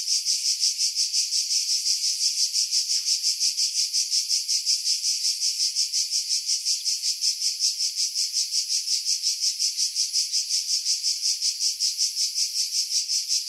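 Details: Chorus of cicadas in pine trees above Pefkos Bay on Skiros Island, Greece, July 2018, recorded on a Sony RX3 with external mic: dense shrill buzz pulsing rhythmically about three times a second, unbroken throughout, filtered to strip wind noise.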